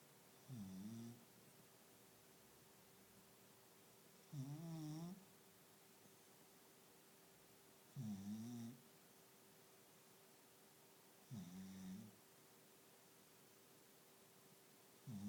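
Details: A small pet dog snoring while trying to sleep indoors: low rumbling snores with a nasal rising-falling tone, each lasting about a second and coming roughly every three to four seconds, over a steady faint hum.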